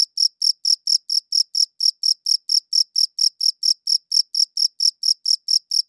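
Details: Steady high chirps from a cricket, evenly repeated close to four times per second for the whole stretch, clear and isolated against silence.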